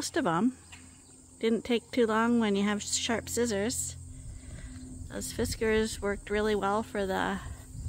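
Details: Rams on a large registered Suffolk and Poll Dorset sheep farm, Ewetopia Farms, on a quiet day: a series of wavering, tremulous bleats, each under a second, several in quick succession, with a steady hum underneath.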